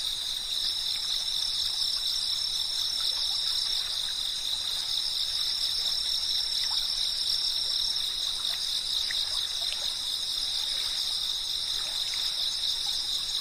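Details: Cicadas chirping in a dense, unbroken chorus, a steady high shrill in several stacked tones with no pauses, while a trickling stream runs underneath with soft gurgles and drips.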